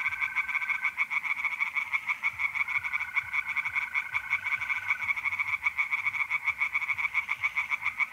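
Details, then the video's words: Tree frogs in a pond sing through an April night in north-east Italy, a busy chorus of pulsed, grating croaks, accompanied by a level, continuous mole cricket trill during the first five seconds. "relaxing singing tree frogs in pond and trilling mole crickets by night"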